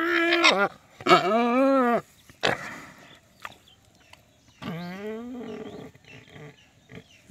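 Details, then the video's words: Pig said to be angry, letting out drawn-out arched squeals of about a second each, with two strong bursts separated by quieter grunting and rustling. "बाप रे गुस्सा करता है सुअर"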